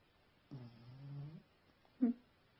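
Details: Snoring from a dog asleep indoors: a low vibrating nasal drone of almost a second, slightly rising at its end, then after a pause a short sharp snort; the room is otherwise quiet.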